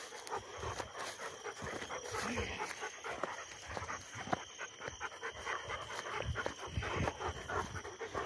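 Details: Two Rottweilers descending a tower, one panting steadily with rapid, rasping breaths in an unbroken rhythm over several seconds. Low rumbling movement noise lies underneath.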